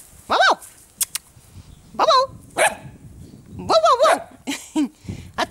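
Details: Puppies giving loud, high, bending yelps in short bursts with pauses between, some rising then falling; a person speaks nearby.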